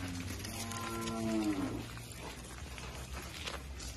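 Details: Gir cattle at a breeding farm. A single low, droning moo with stacked tones swells for about a second and a half, then fades into a faint background hiss.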